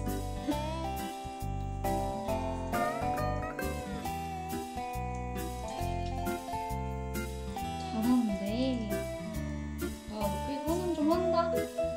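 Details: Upbeat instrumental music with plucked and chiming tones and a steady beat fills the whole stretch; no animal voice stands out.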